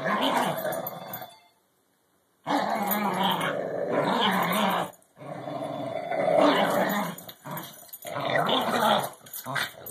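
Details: Two dogs, an English Bulldog and a Cairn Terrier, growl during a game of tug-of-war over a rubber ball stuffed with smaller balls; sustained gravelly growling in long stretches, with one clear pause near the start.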